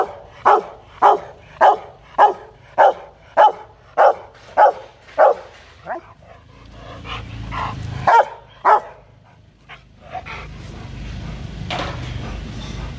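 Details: Rottweiler Loki in an aggressive, threatening mood barks loudly in a steady series of about eleven barks roughly every half second, then falls quieter with scattered sounds and low background rumble.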